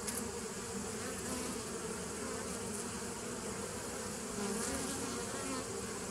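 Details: Bees droning together, recorded 27 September 2018, a thick constant hum that swells slightly louder near the end.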